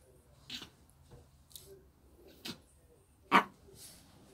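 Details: A Shih Tzu called Lotto gives three short, sharp yips or barks about a second apart, the last one the loudest and fullest, with quiet background noise in between.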